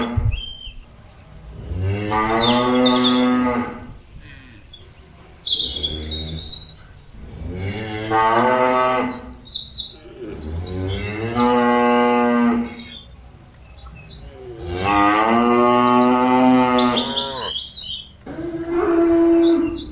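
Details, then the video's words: Cattle calling companions back to the pen: several long, strong moos, some answered by quieter lows, spaced a few seconds apart, with chirping birds throughout. "Suara sapi lembu memanggil kawan nya balik ke kandang"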